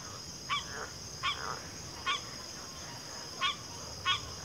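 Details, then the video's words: Frog calls in a backwater: five short honking, nasal calls spaced unevenly over four seconds, each with a buzzy ringing quality, over a steady high insect drone. "FROGS - Pig Frogs, Water Frogs, Backwater Chorus, & Frog Chorus"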